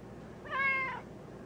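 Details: Black pet cat in a basement uttering one clear, half-second meow that rises slightly then falls away, with only quiet room hum behind it.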